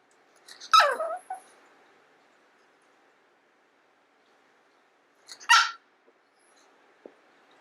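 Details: Long-coat Chihuahua kept as a house pet, yelping to beg for the owner's food: two loud, shrill, strained cries about five seconds apart, with quiet silence between them.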